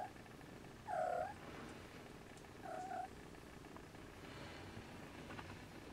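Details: Siamese kittens napping beside their mother Siamese cat, some unable to sleep and waking siblings; two short, high tonal mews about two seconds apart, each slightly wavering, over a low, steady rumbling background.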